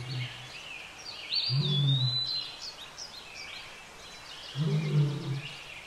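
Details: Wild lion pair mating at Lake Nakuru, Kenya: short deep rumbling growls, one near the start, one around two seconds and another near five seconds, with birds chirping and whistling in the background.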